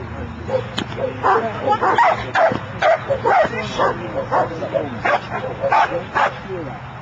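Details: A dog working the Schutzhund bark and hold in training gives loud, sharp barks in a steady run, about two a second, with voices talking in the background.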